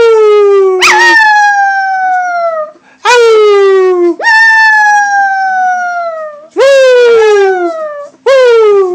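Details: Pet dog howling: four long drawn-out howls, each opening with a sharp rise then sliding slowly downward, about two seconds apiece with brief breaths between.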